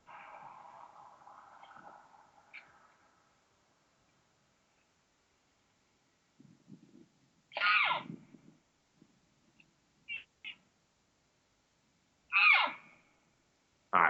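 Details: Elk (Cervus canadensis), an excited cow call during the rut, possibly an estrus scream. A cow with another cow and calf looks back toward timber, giving loud, high squeals that break sharply downward, spaced seconds apart.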